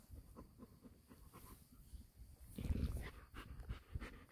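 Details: Quiet, fast panting from a six-week-old male Golden Retriever puppy: faint breathy pulses in close succession, growing louder and rougher midway through.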